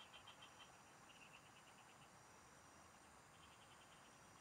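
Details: Frogs singing in the fields, noted during fishing: rapid bead-like pulse trains open the stretch, pause, then return more faintly, all under a persistent thin insect whine and hiss.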